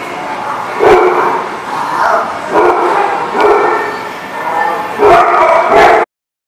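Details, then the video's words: A dog gives repeated loud barks, some in quick runs, with broad, harsh bursts across most of the stretch before it suddenly cuts off. "The Barking Lot"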